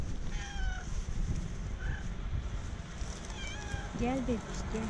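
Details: Orange and white female cat standing up on her hind legs, wanting attention and asking to be petted; short high meows, with a wavering pair of calls near the end, over a woman's soft talking and low background hum.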